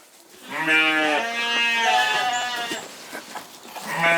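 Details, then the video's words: Corriedale sheep on a Canadian farm bleating: two overlapping wavering bleats, harmonic and slightly quavering, running about three seconds, then a quieter pause and another bleat starting at the end. "Canadian Corriedale Sheep Farm"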